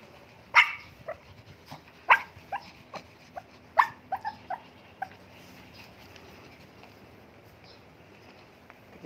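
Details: Mini Dobermans and Shih Tzus in a noisy commotion, several sharp barks and yaps scattered irregularly, strongest near the start and middle, then fading to quieter scattered yips.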